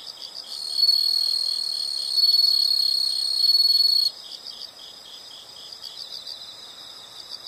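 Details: An insect chorus: a piercing, continuous high trill swells in three waves for about four seconds, then drops away, leaving a quieter rhythmic pulsing hum.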